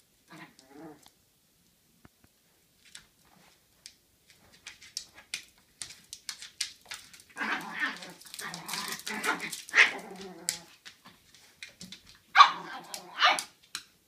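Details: A Chihuahua puppy is ignored by an old American Cocker Spaniel. After near silence, a dog breaks into a rapid cluster of yappy, high barks and whines, then gives one sharp loud bark and a few weaker yips.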